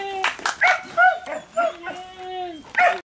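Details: Thor, an 11-month-old Border Collie puppy, during a basic scent-tracking exercise to find hidden house keys; high tonal whines and short yips in several quick bursts, some rising and falling, with a trainer speaking Spanish nearby.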